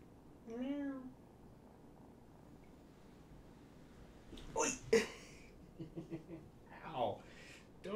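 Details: A short, rising kitten meow opens, then human voices and handling noises take over; one of five rescue kittens from two litters surrendered in Tacoma, being socialized at Purrfect Pals during a late-night visit.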